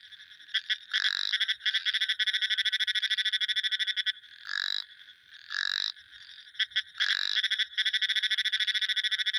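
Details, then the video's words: Frog calls from a sound-effects recording: rapid trains of sharp pulsed clicks alternating with longer buzzy nasal croaks that repeat roughly every second, loud and close, with no other sounds. "Frog sound effects | Frog sound effects 30 minutes"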